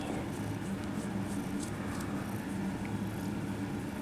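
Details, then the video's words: Friendly, attention-seeking kittens at a cat cafe purring up close: a steady low rumbling drone with soft rhythmic pulsing, continuous throughout, with faint rustling of petting in the background. "Overload of purring kittens"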